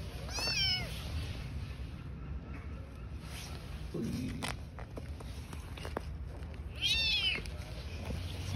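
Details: Street-living cat family of a mother and newborn kittens: two high, rising-then-falling meows with rich harmonics, one near the start and another around seven seconds in, over steady low background rumble and faint voices.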